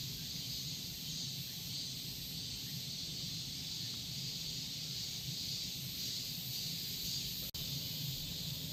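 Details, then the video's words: Unbroken high buzzing of Korean cicadas, even and sustained throughout, over a noticeable low rumbling background. "매미 소리 Korean cicadas"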